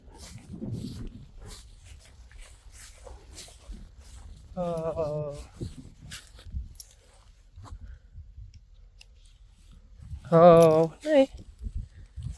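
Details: Rising Star, a male Friesian horse, very angry as the mares with foals get a new pasture. He gives two wavering whinnies with strong harmonics, one short and mid-clip and a louder, longer one near the end, over a quiet background.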